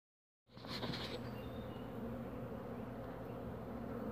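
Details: Carniolan honey bees (Apis mellifera carnica) at the hive as a queen returns home from a 3 to 5 minute orientation flight; after a brief silence a dense, steady low buzzing hum begins and continues, with a short higher whine near the start.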